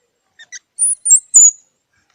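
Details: Squirrel giving two soft short chirps followed by three loud, thin, very high-pitched squeaks, the last one sliding downward.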